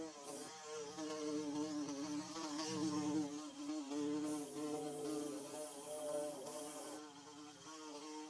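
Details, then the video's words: Bees building their nest give a steady, droning buzz with several overlapping wavering tones. It swells and fades as insects pass close, and brief hissy bursts come and go in the background. "Bee Buzzing"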